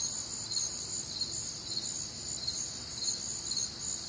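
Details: Crickets chorusing on a warm, humid Midwestern summer night, a dense high-pitched shimmer of rapid pulsing trills layered in several bands, steady and unbroken throughout, with nothing else standing out over a faint low background hum.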